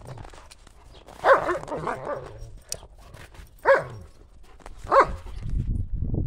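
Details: Buffy and Willow, German Shepherds at play in January snow, chasing a ball; three loud, clipped barks about a second or more apart, with snow crunching and rustling between them.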